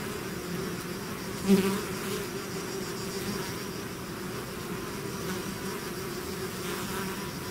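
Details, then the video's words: A swarm of bees out of its hive fills the air with a steady, dense, low buzz, a layered drone with faint brighter whines drifting over it and one brief louder burst early on. "bees therapy swarm natural buzzing sound"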